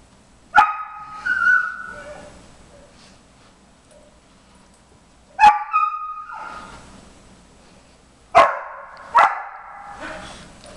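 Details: Background barking from Jimmer, a 4.5-month-old briard eager to join a treat-finding nosework game indoors. Four sharp, high barks come in pairs, some trailing into brief whiny tails, with quiet gaps between them.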